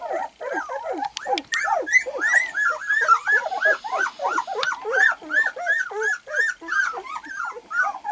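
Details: Two-week-old white golden retriever puppies crawling after opening their eyes give a run of high, arched squeaky whines, several pups overlapping, with a few sharp clicks near the start.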